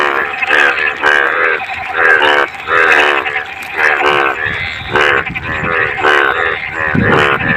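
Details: Rainy-season frogs in clean water give rapid, nasal, harmonic croaks in overlapping bursts, several callers alternating and crowding together with brief pauses, over a low rumbling background.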